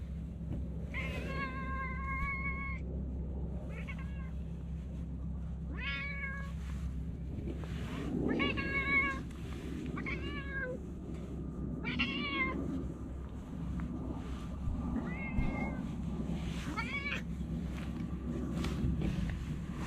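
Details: Talkative stray cat meowing repeatedly, about eight drawn-out, rich harmonic meows spaced a second or two apart, some rising then falling, over a steady low hum and faint background noise.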